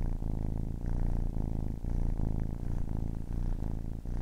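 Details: Close, loud purring from a kitten of ten weeks, a dense low buzz with rhythmic breathing breaks, alternating slightly between inhale and exhale phases.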